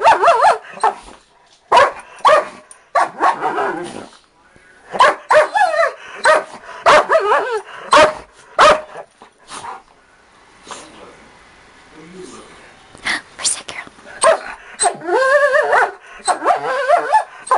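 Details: Pet Dachshund, age 4, and blue Doberman, age 5, jokingly said to attack. Sharp barks and quivering growl-yips arrive in dense clusters, then a quieter stretch near the middle before the snarling barks resume.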